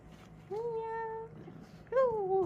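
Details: Sphynx cat giving two clear meows indoors, the first steady and drawn out, the second rising then falling, with a faint low hum beneath.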